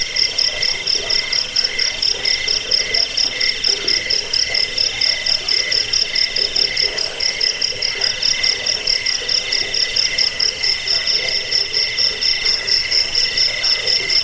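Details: Cricket sound used to repel rats, lull listeners to sleep and serve as a tutor for cage birds; high pulsing chirps repeat quickly and steadily throughout, backed by a constant shrill buzzing bed.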